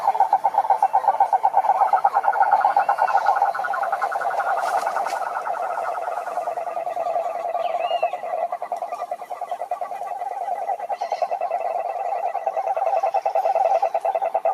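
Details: A crowd of frogs calling at a pond in the wild, associated with mating; a continuous rattling chorus of fast pulses, layered voices at slightly different pitches, and a few short rising whistles from other callers.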